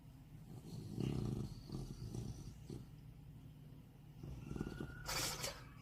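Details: A pet beagle that has lived with its owner for eight years, snoring in its sleep: low, rough rumbling breaths in uneven bursts near one, two and four and a half seconds, with a short hissing noise near five seconds.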